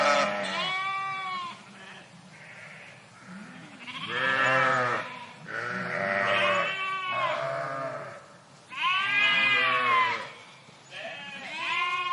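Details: Bleating sheep flock in a park, dense overlapping calls from several animals, loud quavering bleats roughly every two seconds mixed with lower grunting bleats.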